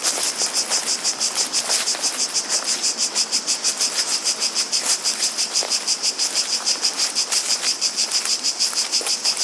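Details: Cicadas with running water and footsteps nearby, filling the air with a shrill, high buzz that pulses steadily about three times a second.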